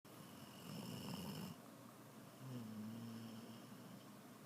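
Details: Little female dog snoring loudly while asleep, possibly from sleep apnea, indoors in a small room; two rough, rumbling low snores with a brief quiet gap between them.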